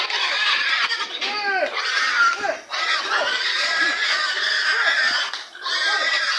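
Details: Pigs being loaded onto a vehicle, with a stubborn sow whose head was covered with a sack. Dense, shrill squeals in overlapping rising and falling arcs run almost without a break, dipping briefly near the third and sixth seconds, with voices mixed in.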